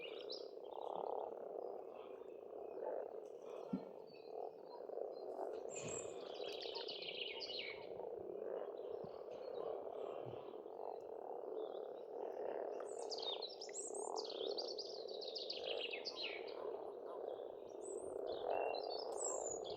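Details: Frogs calling in spring at a pond on an Estonian farmstead: a dense, continuous chorus of low croaking that swells and never pauses. Songbirds twitter and whistle above it throughout.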